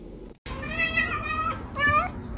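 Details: Cat meowing: a drawn-out, slightly wavering meow lasting over a second, followed by a shorter second meow, with a brief click and silence just before and faint background noise.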